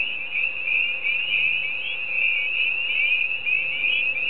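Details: Frogs calling at night at Sheep Pond: a dense, unbroken chorus of high, shrill trilling that holds steady throughout, with a faint low hum in the background.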